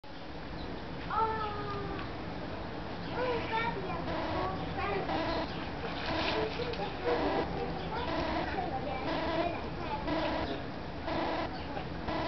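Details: Hamadryas baboons at Budapest Zoo give harsh, harmonic screeches and barks in quick, irregular bursts as one chases another away and it comes back.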